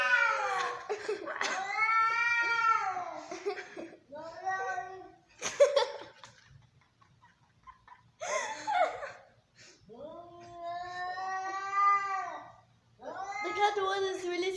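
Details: Fighting, angry domestic cats trading loud, harsh yowls and screeching wails in bursts separated by short silences, the calls arching up and down with dense harmonics.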